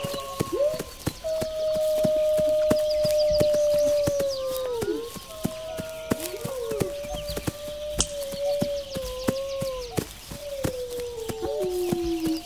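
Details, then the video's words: Several wolves howl together in long, level, sustained notes that bend and dip at their ends, some voices overlapping in a loose chorus, while quick sharp clicks tick on in the background. "Wolves Howling"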